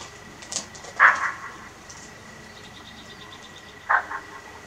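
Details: Alarm barks of a bushbuck near a safari tent in Kruger National Park: two abrupt, rasping barks roughly three seconds apart, with faint ticking and quiet human voices nearby.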